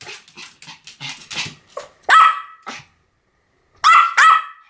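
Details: Pomeranian yapping: a run of quieter, rapid barks, then two loud ringing barks, a pause, and another loud pair of high-pitched barks.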